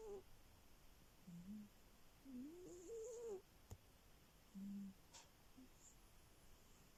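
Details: Snoring from a sleeping cat: faint low hums and a thin rising whistle on the breath, quiet room otherwise still.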